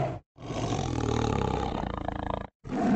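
A tiger gives one deep, rasping roar of about two seconds that breaks into rapid throaty pulses as it fades, with a brief hard cut at each end.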